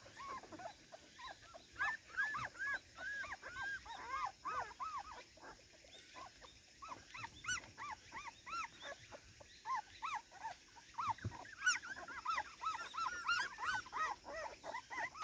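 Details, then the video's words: Playful, excited Cardigan Welsh Corgi on garden debut, filmed 13 September 2024; bursts of shrill rising-then-falling whines and yips come in quick clusters separated by short pauses, with a few sharp clicks. "コーギー・カーディガン お庭デビューで一番はしゃいでいたのは・・・"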